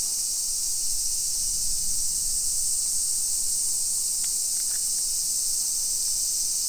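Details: Cicadas singing in suburban Nisshin, Aichi Prefecture, Japan, on a summer afternoon, 28 July 2021; a continuous shrill buzzing wall of sound, with a faint low rumble early on and a few brief clicks near the end.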